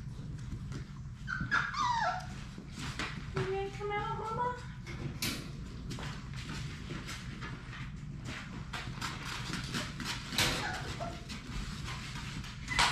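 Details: Six Labrador Retriever puppies of the mother Sadie at play in an indoor puppy play room; high, thin rising whines come in two bursts early on over steady low room noise, scuffling, clicks and faint human voices.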